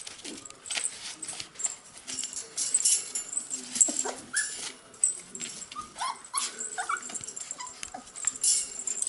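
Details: Cocker Spaniel puppies, 44 days old, making short high whimpers and squeaks, some rising and falling, scattered among rustling and scratching noises.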